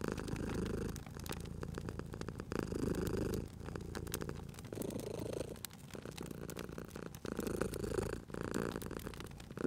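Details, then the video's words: Sleeping cat purring next to a crackling fire; a rich, low rumbling purr rises with each breath about every two seconds, accompanied by a continuous patter of fire crackles and pops. "Cute Purring Cat at a Crackling Fireplace"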